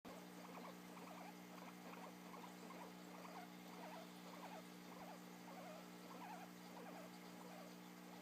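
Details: Guinea pig filmed while yawning, giving soft squeaky chirps in rapid irregular bursts, about a hundred a minute, over a steady low electrical hum.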